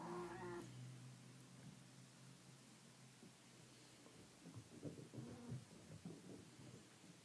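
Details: Traditional Siamese kittens run along a hallway for the first time, their mother Bluebelle watching closely. One short harmonic meow opens the clip, then quiet indoor room tone with soft pattering and scuffling sounds.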